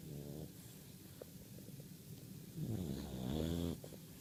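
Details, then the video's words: Keirra, a Bulldog puppy, snoring in her sleep: low, rattling harmonic snores pulse rapidly, swelling into a louder, longer rasping breath in the second half. "More Bulldog Puppy Snores"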